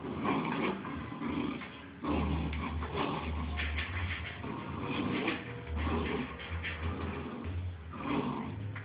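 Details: Two Bull Terrier puppies playing together, giving rough, low growls and snuffling grunts in bursts, with short scuffling noises between them and a steady low hum behind.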